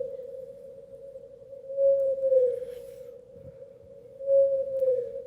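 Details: Blue whale song recorded 650 miles away, sped up 30 times to audible pitch: a steady unbroken hum that swells gently in loudness; one note lasts 25 seconds, repeated every 71 seconds in the North Atlantic.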